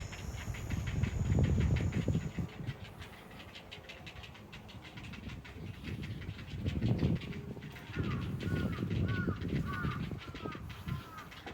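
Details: Ezo haruzemi cicada singing at Odawara Castle, recorded on a walk with the insect unseen: rapid rhythmic pulsing, about three to four beats per second, steady throughout, under heavy rumbling wind noise, with a few short chirping bird notes near the end.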